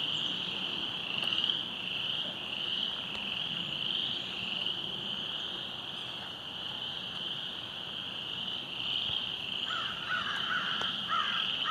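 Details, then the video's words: Frogs calling along a flooded creek trail after heavy rain, in a dense, unbroken high-pitched chorus, with a few lower croaks near the end. "silver creek trail flooding, with frogs croaking 2"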